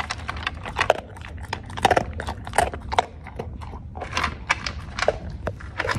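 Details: Crunching kibble, the Cocker Spaniel Clinton chews dog food with sharp, uneven clicks and crackles, short pauses between mouthfuls, indoors.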